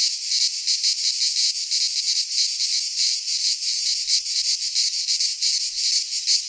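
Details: Cicadas singing in midsummer in a Greek pine forest: a dense, loud, continuous buzzing chorus, high and hissy, pulsing in rapid waves about three times a second, with no other sounds.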